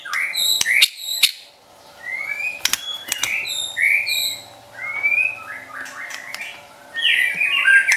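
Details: Pet white-rumped shama song meant to provoke and train other shamas: scattered whistled upslurs and sharp clicks separated by short gaps, ending in a busy burst of high warbling notes, with faint low hum behind.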